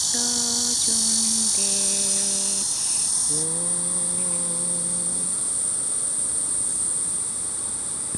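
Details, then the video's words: Cicadas in chorus at 9:10 in the morning on 31 July 2023: a dense, high, hissing drone that narrows after about three seconds into a thinner, steady, piercing whine, with low, steady humming tones underneath for the first five seconds. "매미들의 합창"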